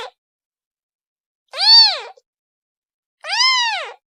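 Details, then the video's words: Kitten calling its mother with two drawn-out meows, the second longer and more even in pitch, both rising and falling smoothly with strong overtones, after a brief clipped cry at the start. "The sound of a kitten calling its mother"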